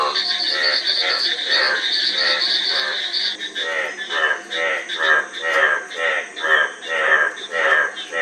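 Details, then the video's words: Frog croaks, at first overlapping under a high buzzing drone, then settling into a regular series of rasping, pulsed calls about every half second that swell and fade in loudness. "Frog Sound--Frog Sound Effect 15 min"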